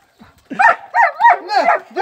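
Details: Guarding German Shepherd during training, giving a tight series of loud, harsh, rising-falling barks about three per second with no pause.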